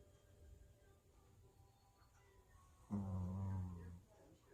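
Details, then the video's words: Worn-out pet puppy sleeping inside, letting out a single sudden, buzzy, tonal snore lasting just over a second after a stretch of near silence. "코골이 강아지, 많이피곤했나봐요."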